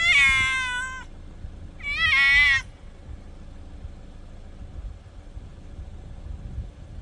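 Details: Cats calling by the night sea, two loud drawn-out meows about a second long each, bright and wavering, followed by several seconds of low wave noise.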